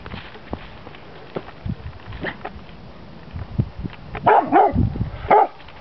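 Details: Chocolate Labrador Retriever, two years old, barking outdoors in snow at a red pizza box; a few short barks near the end, preceded by quieter scattered sounds over steady wind-like noise.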